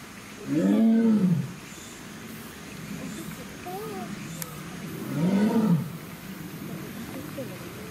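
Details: Captive female Amur tiger, born February 2021, at Hamamatsu Zoo in Japan, calls out after carrying a toy cone from the water onto land: two deep, moaning roars about four seconds apart, with faint voices and ambient noise between.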